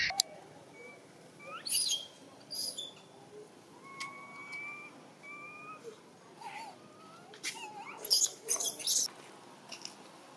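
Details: Baby macaque Dito, a spoiled infant of a Siem Reap Province troop, crying hungry for milk: thin tonal whimpers, some steady and some gently rising, spaced a second or two apart, with scattered clicks and rustles.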